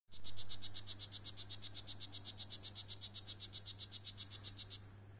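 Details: Male strawberry poison frog of the Bastimentos form calling while carrying a tadpole: a rapid series of short, high chirping buzzes, about five per second, for nearly five seconds, over a low steady background hum.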